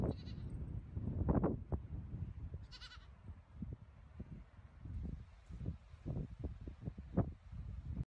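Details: Goats in a funny compilation give two short bleats, a brief one near the start and a buzzy, wavering bleat around three seconds, over steady low rumbling handling noise and scattered knocks.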